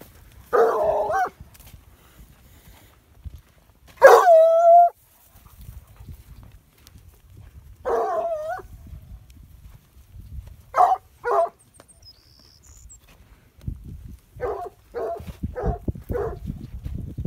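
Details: A Plott hound on a farm barks in irregular bursts while herding dairy cows, calling them in. Some barks are single, some quick doubled or tripled yaps.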